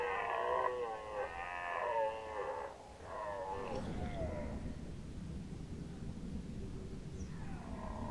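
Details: Red deer stag roaring during the rut in Lower Oder Valley National Park, Germany, 2019: drawn-out harmonic bellows in two to three pulses, then a fainter roar rising again near the end over low rumble.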